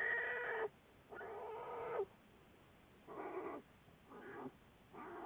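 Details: Harmonic crying bursts from Juliet, an American black bear studied by the Wildlife Research Institute, recorded February 10, 2014. Two long bawls are followed by three shorter, softer ones, all against a low background hiss.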